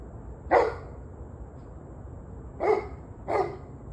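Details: Barking dog, evening of 21 November 2023, 7:06 pm: one loud bark, then after two seconds a quick pair of barks less than a second apart, over faint steady background noise.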